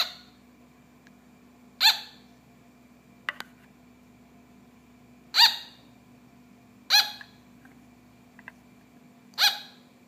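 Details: Captive sugar glider barking: four clear, shrill yaps at uneven intervals, with a few faint clicks and taps between them and a low steady hum in the background.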